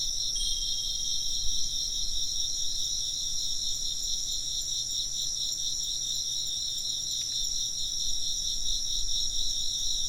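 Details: Insects chirping in a dense, steady chorus of high shimmering trills stacked in several pitch bands, pulsing continuously throughout, with one brief bright wind chime strike partway through and faint low rumble beneath.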